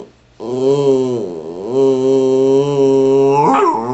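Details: Patterdale Terrier 'talking' while chatting with its owner: a long, drawn-out, moaning vocal tone that dips briefly, holds steady and tuneful for about two seconds, then ends with a quick rising yelp.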